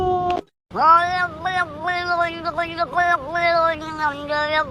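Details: Cat giving a brief meow, then after a short pause a long, continuous wavering yowl that dips and rises in pitch for about four seconds.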